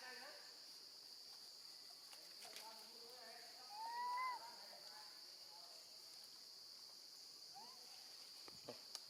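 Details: Baby female monkey calling for her mother while left with her grandmother: a single rising tonal wail at mid-clip, preceded by fainter wavering cries, set against a steady shrill insect drone and a few clicks.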